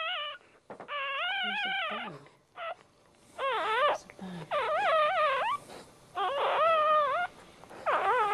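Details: Dog at home giving birth standing up, the first one born a male; a rapid run of wavering, up-and-down whimpering cries, some clipped short, others drawn out, with faint low voices underneath.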